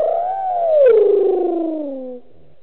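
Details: A lone hyena at Gowrie dam waterhole, Djuma Game Reserve, Sabi Sand, South Africa, calls after drinking at 18:57 in the evening; a single long, hollow whoop that swells briefly, then slides smoothly downward.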